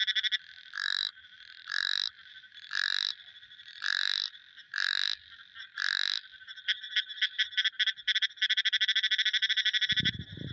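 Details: A frog gives six evenly spaced buzzy croaks about a second apart, then breaks into a fast rattling train of clicking pulses, and a brief low thump sounds at the very end.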